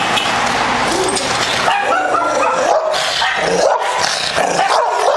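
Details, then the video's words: Very aggressive American Bulldog giving continuous, dense barking mixed with high yipping whines that rise and fall, loud throughout the five seconds with no pauses. "Very Aggressive American Bulldog"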